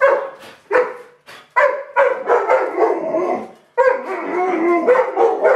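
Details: Two Alaskan Malamutes at feeding time give drawn-out, tuneful woo-woo calls, rising and falling in bursts with short pauses.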